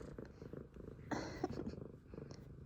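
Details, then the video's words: A male F2 Savannah cat purrs steadily, a low rapid rumble, happy to see his owner, with a brief rustle in the middle. "Cute Excited Meows And Purrs! F2 Savannah Cats Zara And Kumba Are Happy To See Me!"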